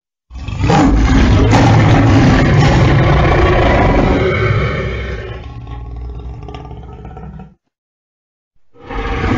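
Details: Lion (Panthera leo), roar.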